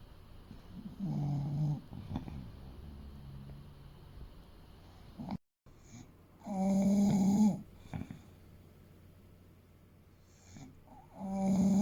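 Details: Fuku, a 30 kg male English Bulldog aged eight, snores in his sleep: a short snore, a brief silent dropout, then a longer gravelly snore, and another starting at the end, with quiet wheezy breaths between.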